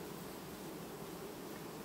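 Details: Honey bee colony quietly replacing its queen (supersedure), recorded 18 August 2019: a steady, dense buzzing hum, even in loudness throughout, with no other clear sounds.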